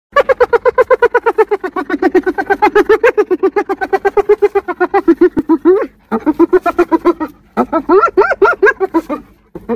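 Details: Spotted hyena (Crocuta crocuta) from the African savanna laughing several times, a fast series of high, tremulous giggling yelps.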